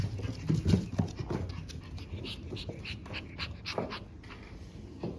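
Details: French Bulldog puppies, siblings born on March 14 including Gen and Mugi, growing up healthy indoors; rapid breathy panting puffs about four per second, with soft rustling and shuffling in a small room.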